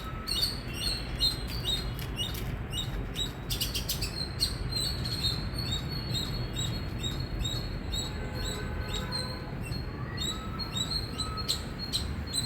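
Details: Indian squirrel giving loud, high, sharp chirps in a quick run, with bursts of clicking and faint lower whistled notes late on, over steady low rumbling background noise.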